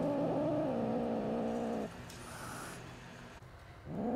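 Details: Angry baby kittens, one of five met with their mother cat, give a low, wavering harmonic growl for about two seconds, then quieter rustling and handling noise follows with a faint yowl starting at the end.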